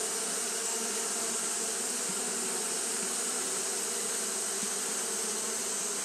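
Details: Japanese honey bees fanning nonstop in hot weather; the buzz forms a thick continuous hum with slight wavering low tones and a bright, even hiss on top.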